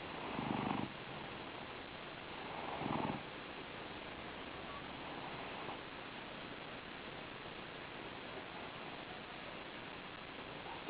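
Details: Domestic cat sleeping indoors and snoring: soft, breathy rasping bursts, each under a second, about two seconds apart at first, then fainter and quieter breathing over a low background hiss.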